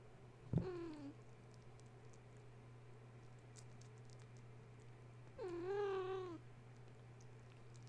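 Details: Two drawn-out, wavering meows about five seconds apart come from Gaia's litter of kittens, stirred from sleep at bedtime by a space heater being plugged in. A constant low hum runs underneath, with a sharp knock at the start.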